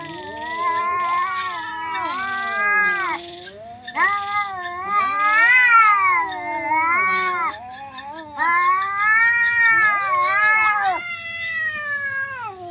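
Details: Domestic cats fighting, very loud and weird: long wavering caterwauls with rich harmonics rising and falling in pitch, three drawn-out yowling bouts of several seconds each separated by brief pauses.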